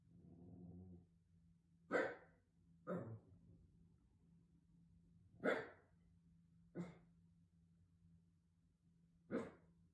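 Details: A Shiba Inu, roused at night as a house watchdog, gives five short, sharp barks at irregular intervals of one to three seconds, with a breathy huff at the start and a constant low hum.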